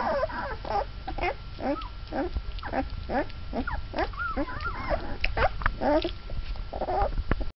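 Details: Mastiff pups, twelve days old and taking first steps, keep up a dense chorus of short yelping whimpers, one after another, with a warbling whine in the middle and a final squeal.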